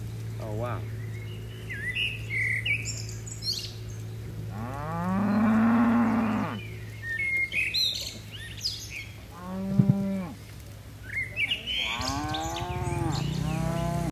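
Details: Dozens of tame cattle leaping down a mountain hillside slope as a herd, giving a long, drawn-out, rising-then-level moo, then a shorter low moo and a final overlapping pair of moos, with small birds chirping and a steady low hum behind.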